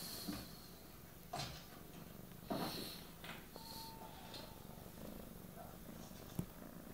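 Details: Young female cat purring while kneading a blanket with her paws and sucking on it during a cuddly phase; steady low rumbling purr throughout, with soft sucking and rustling clicks and brief faint voices.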